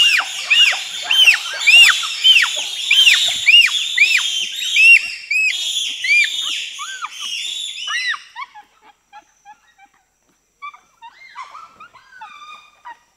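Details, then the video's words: Bonobos (pygmy chimpanzees), a group of four to six, shrieking in reaction to being presented with sugar cane: dense overlapping high arched shrieks rise and fall rapidly for eight seconds, then thin out into scattered softer squeals. "Pygmy Chimpanzee / Screams & Shrieks As Reaction To Presentation Of Sugar Cane. 4-6 Chimps Shriekin"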